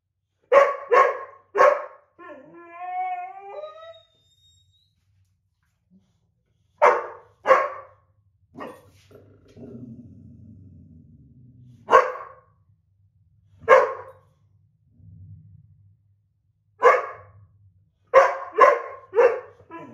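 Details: Indoor squabble between two dogs, a white boxer and an older black Lab mix, over a coveted window seat. The boxer is upset. Bursts of sharp barks in quick runs alternate with a wavering whine and low grumbling growls.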